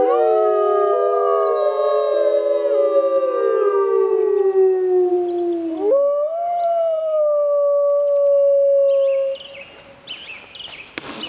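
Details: Six Arctic wolves howling together in a chorus: several overlapping long, smooth tones sliding slowly downward, then one voice jumps higher and holds a steady drawn-out note before the sound fades.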